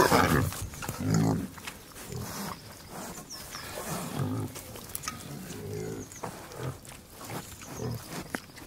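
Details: Several pigs grunting while feeding: low, rough grunts in irregular bursts of roughly one per second, with snuffling and chewing noises between them.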